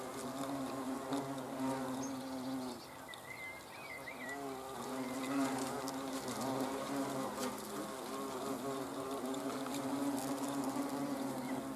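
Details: Hornets on 30 June 2020 keep up a rich droning buzz that dips briefly near three seconds, then swells again with wavering pitch; short bird whistles sound faintly in the distance.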